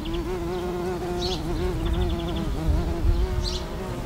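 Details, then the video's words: Carpenter bee outdoors, a loud continuous low hum with wavering pitch throughout, accompanied by rumbling low noise and a few faint high bird chirps. "l'Abeille charpentière"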